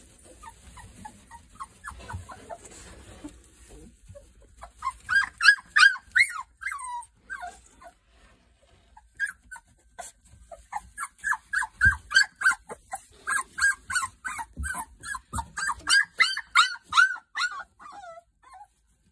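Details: Three-week-old Boerboel puppies whimpering and squeaking in rapid, uneven bursts of short rising and falling whines, with a quieter start and then dense overlapping cries after five seconds, briefly pausing near eight seconds.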